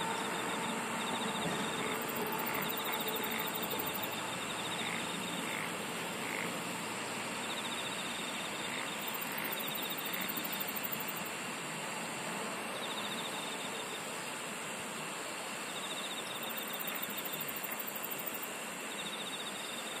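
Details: Insects in a dense chorus: long, very high buzzing bursts that come every several seconds, a steady pulsed trill lower down, and a broad, continuous hiss beneath.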